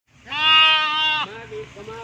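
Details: Lamb recorded in the Northern areas of Pakistan, searching for its mother: one long harmonic bleat of about a second, steady and slightly wavering, followed by a fainter, lower second bleat.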